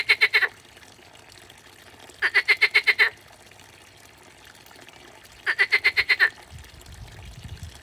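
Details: A frog croaking: bursts of about seven rapid, evenly spaced clicking pulses, each burst lasting under a second and repeated about every three seconds. Faint background hiss and a low rumble at the end.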